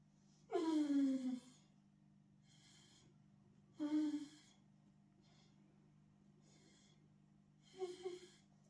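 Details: Arlo, a Borzoi (Russian Wolfhound) dog indoors, 'talking' and apologising to his owner in a little chat: three drawn-out, falling, throaty whine-groans, the first longest, the others shorter, separated by soft breathy snuffles and a steady low hum.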